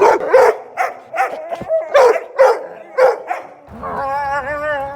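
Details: A dog gives a rapid series of throaty barks, roughly three per second, then slides into a sustained, steady, tonal howl-like whine.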